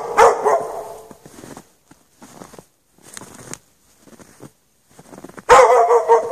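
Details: Barking from a dog chained outdoors in the snow overnight without shelter, a loud burst at the start and another near the end, with quieter scattered sounds between them.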